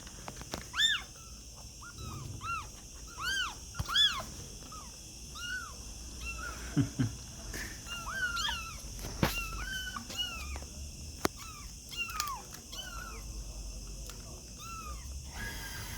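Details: Kittens crying with many short, high, curved mews scattered throughout, some overlapping, mixed with clicks, rustles and a low hum in the background.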